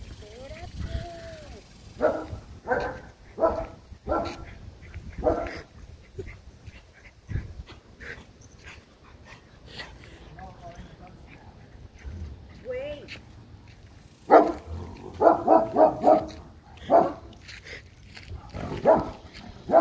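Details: Dog barking in a garden setting where insects and yellow garden spiders are also present; short harmonic barks come in irregular bursts, a loud rapid cluster near the end, with human voices talking in between.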